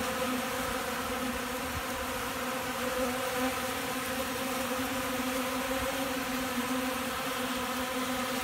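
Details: Hungry honey bees feeding right out of a beekeeper's hand, a dense steady buzzing hum with a low droning tone and higher overtones, continuous and even throughout with no other sounds.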